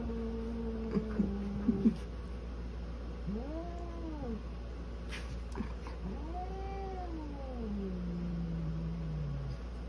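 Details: Orange polydactyl cat squaring off against a golden retriever. Low, drawn-out yowls arch up and fall back in slow waves, fairly quiet under a steady low hum.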